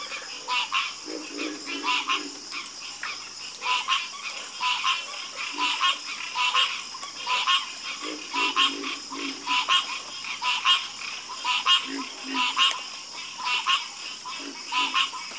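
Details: Croaking frog chorus with uneven bursts of harsh, clicking croaks, about one per second, deeper grunting notes mixed in and a faint steady hiss behind.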